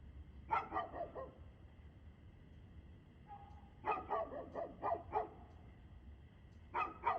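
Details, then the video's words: On 2/6/2024 at 6:02 pm a dog barks in fast runs of three to five, separated by quiet gaps of a few seconds, with a faint low hum beneath. "Barking Dog"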